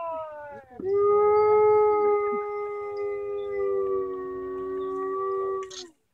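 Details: Captive gray wolf howling: one long, steady, tonal howl that opens with a short lower note, then jumps up and holds level with rich overtones for about five seconds before dropping away at the end.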